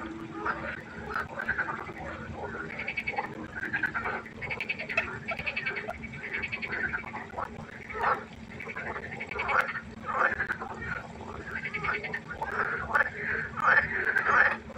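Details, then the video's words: Dense frog concert at night by a pond, many overlapping mid-pitched croaks repeating steadily, about one and a half per second, forming a continuous chattering chorus. "1 Stunde Froschkonzert. Frosch Geräusche quaken. Frösche Geräusche Konzert"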